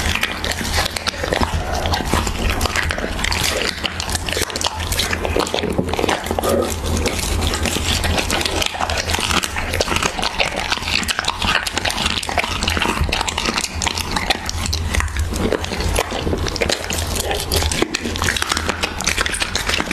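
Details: Siberian Husky eating raw beef: dense, continuous wet chewing, smacking and crunching throughout, with a steady low hum underneath.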